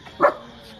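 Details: Rottweiler on a rooftop in full action mode, goaded by its owner to bark from the front: one short, sharp bark, then quiet.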